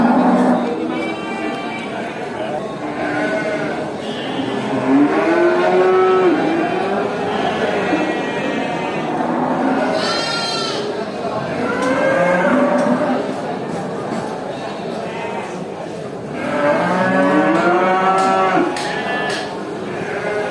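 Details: Hundreds of farm cows being herded back to the barn through a village give long, drawn-out moos that overlap and swell in waves.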